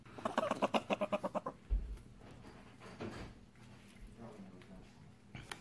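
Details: A pet prairie dog puppy "talks" to its owner in a quick burst of about ten chirping, harmonic yips, then falls quiet; the sound means it is content and wants to be held.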